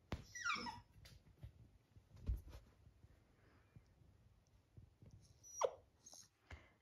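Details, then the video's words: Happy, a Lab puppy, begging to be put on the bed for cuddles, gives a thin whine that slides steeply downward at the start and another brief falling whine near the end; otherwise quiet indoor room noise. "Lab Puppy asking to get him to bed for cuddling"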